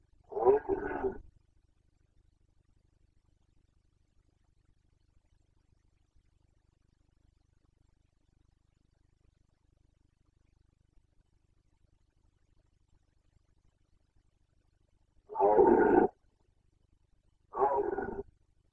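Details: Carpathian red deer stag in the 2021 rut in Bucovina, Romania, gives a hoarse roar, falls quiet for about fourteen seconds, then gives two more roars two seconds apart over faint low background rumble.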